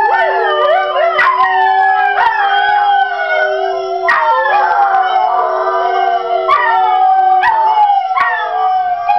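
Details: Pet greyhounds, one dark brindle, one small fawn, one light brindle, join a recording of other hounds in a rooing chorus. Continuous overlapping howls slide up and down, with a steady low drone beneath and brief sharp breaks every second or two.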